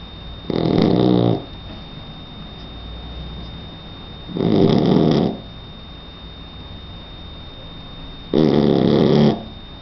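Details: Sleeping three-month-old Shar Pei puppy snoring: three loud, harsh, rasping snores, each close to a second long, roughly every four seconds, separated by quiet breathing, with a faint steady electrical hum underneath.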